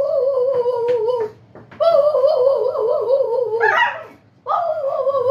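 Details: Husky howling in a small room: long, wavering mid-pitched tones with a slight vibrato, broken by short pauses. One howl swells upward before breaking off, then a fresh howl starts.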